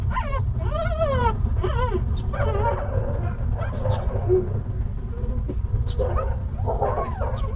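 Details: Stray mother dog with a litter of puppies: a few sharp, bending whines at the start, fading into softer, scattered whimpers and yips against a continuous low rumble.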